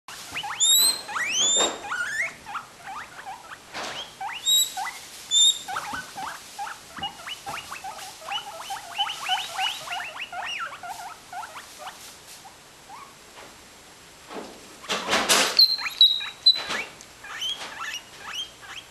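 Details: Two guinea pigs asking for food, one showing off her wheeking: rapid series of high, rising squeaky wheeks repeated about twice a second, with a few sharper whistles and a brief rustling burst near the end.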